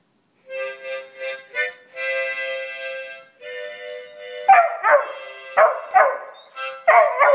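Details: A Beagle howls along to harmonica music playing the South African national anthem, Nkosi Sikelele, in wavering, rising and falling yowls.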